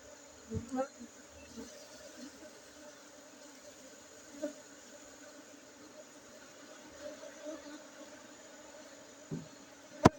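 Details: Steady droning hum of honey bees in Aceh, Indonesia, holding one low pitch with a fainter upper overtone, with scattered soft taps and a sharp click at the end.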